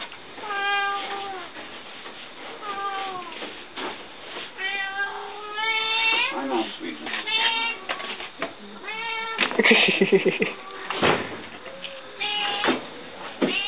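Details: Newly arrived rescue cats and kittens from Fukushima, Japan, at a shelter indoors; a run of clear harmonic meows, about one every second, some rising then dropping, several voices overlapping, while people talk and laugh nearby.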